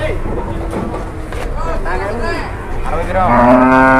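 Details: Rampaging cow during cattle haggling in Indonesia; a busy din of voices gives way to a sudden loud, steady moo in the final second.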